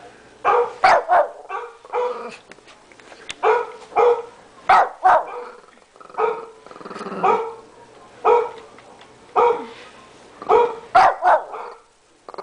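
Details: Small Shih Tzu guard dog, 13 pounds, barks at a computer indoors: persistent sharp barks, often in pairs, repeating every second or so for over ten seconds.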